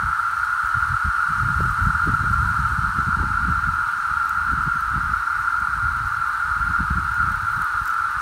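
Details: Magicicada septendecim periodical cicadas of Brood VII, the 17-year Onondaga Brood, emerging in spring 2018 in Onondaga County, New York: a dense chorus blending into one steady, unbroken mid-pitched drone.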